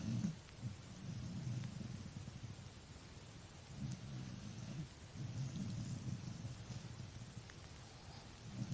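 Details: A tired dog snoring: low, rough rumbling breaths in uneven pulses about a second long, with short quiet gaps between them and a steady faint hiss behind.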